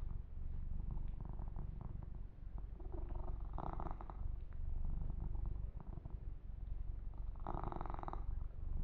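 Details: Kitten purring continuously while being massaged and groomed indoors; a steady low rumbling purr throughout, with brief brighter rustling bursts of fur grooming or handling near 4 and 8 seconds.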